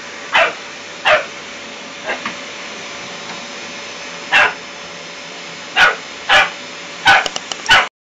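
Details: A puppy eleven weeks old reacts to a vacuum cleaner with about nine sharp, high barks, spaced irregularly and bunching closer together toward the end, against a constant motor drone.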